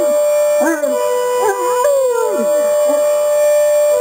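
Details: Two Great Danes, one large and one smaller, howl in wavering, sliding tones, singing along to a steady electronic alarm beep.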